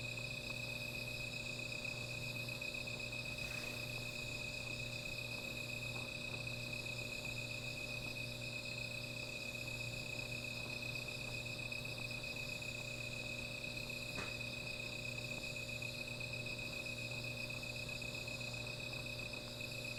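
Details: A continuous high insect drone fills a night beside a small fire, shimmering and unchanging, with a low hum beneath and two brief crackling pops.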